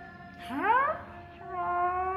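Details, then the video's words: Jealous Siberian Husky girl vocalising: a single harmonic whine sweeps sharply upward and peaks briefly before fading, with steady sustained musical tones playing underneath throughout. "Jealous Husky Girl"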